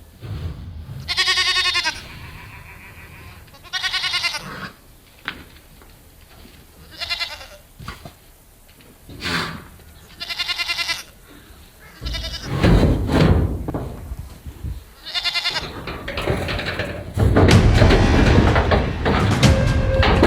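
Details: A large herd of goats with their young kids let out of their shelter on a farm in the morning. Bleats with stacked harmonics come in short bursts throughout, mixed with a man talking, snorts and later music and busy crowd noise.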